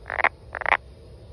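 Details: Two short, rough, doubled croaks from a brown frog, half a second apart, each with a bright raspy quality; quiet hum behind.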